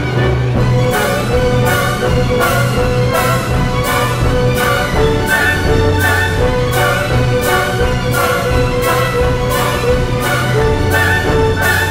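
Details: Orchestral music, In the Hall of the Mountain King by Kevin MacLeod, with steady pulsing beats and deep timpani throughout.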